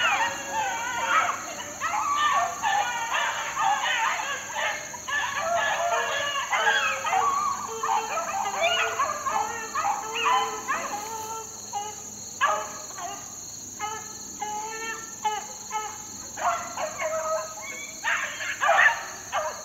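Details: Young Beagle pups, about four months old, worked out in the wild in 2013. Several voices overlap in dense, harmonic baying yelps and howls that pour out in near-continuous bursts for twenty seconds, with a steady high electronic whine underneath.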